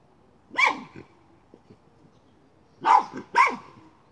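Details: Miniature schnauzer hunting a chipmunk near a pipe: a single sharp bark, faint scraping and knocks, then a quick pair of loud barks.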